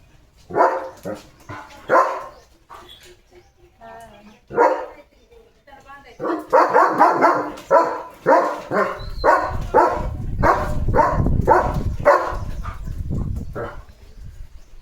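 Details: German Shepherd named Leo barking at cattle: loud, rough barks in quick uneven runs, about two per second in the second half, with people talking in Marathi over and between them.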